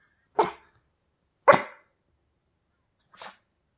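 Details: Pomeranian dog spinning around makes three short, breathy, sneeze-like barks, the first two about a second apart and a softer third after a longer gap.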